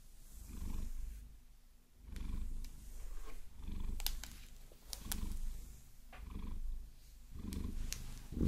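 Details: Vasilisa, a pet Maine Coon, purrs steadily during a long-nail massage; deep throbbing purr rising and fading in breath cycles, overlaid by frequent crisp tapping and scratching clicks from the nails.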